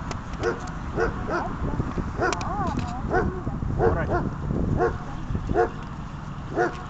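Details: Dog during a training session giving a steady string of short, sharp barks roughly every half second, over constant low rumbling noise.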